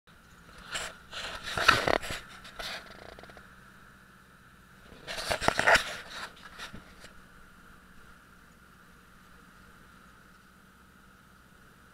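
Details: Two bursts of rustling and scraping handling noise are heard against a quiet room background, with no animal calls.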